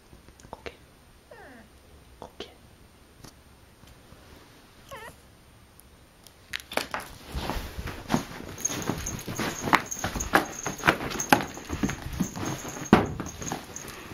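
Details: Akari, a pet cat recorded indoors during her first two months with a new family: a few faint, short meows with wavering, bending pitch early on, then loud clattering and tapping noises that fill the second half.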